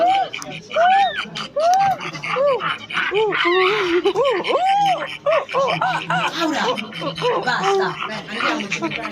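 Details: Silvery gibbon giving a lively series of quick, looping hoots that rise and fall in pitch, overlapping and tumbling faster toward the end, with a busy, echoing background.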